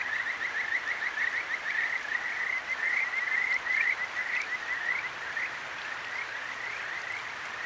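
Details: Kajika frogs calling at night in the Akigawa Valley, Tokyo, beside a clear mountain stream: bright rising notes strung into rapid overlapping trills, several callers at once, over a steady hiss of flowing water.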